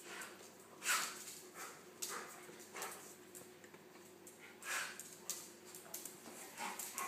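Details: Nelson, a gentle golden retriever, plays with Buster, a small Pomeranian poodle who dives under him to nip his ears; scattered short, breathy growl-like bursts, a few sharper yips, and quiet pauses between them.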